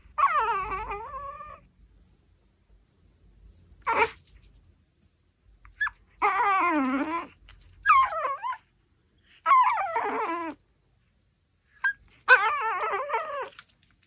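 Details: Pomeranian eating a raw pork backbone, producing long high wavering whimpers that rise and fall in pitch, some sliding down into a low moan, in bursts of one to two seconds with brief pauses.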